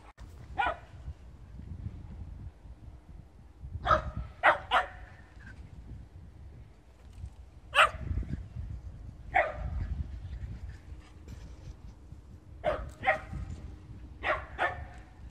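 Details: Blue merle Shetland Sheepdogs, three brothers named Puruto, Pararu and Ponimu living in the countryside; Puruto lies down waiting while the younger brothers run around. Sharp barks come singly and in quick pairs, about a dozen across fifteen seconds, over low rumbling background.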